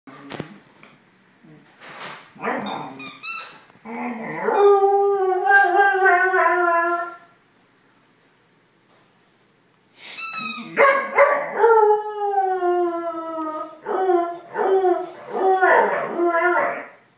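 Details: A 6-month-old Vizsla "sings", howling in long, wavering, falling tones broken by short yips and whines.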